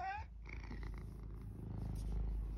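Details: Male domestic cat purring at close range: a steady, low rumbling purr of rapid pulses fills the recording after a brief higher voiced note at the very start, with faint rustling above.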